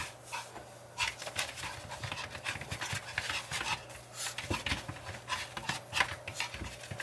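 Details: Rapid breathy panting from a long-haired Chihuahua during a game of catch me if you can, the dense hissing puffs running almost without pause and rising in strength toward the end.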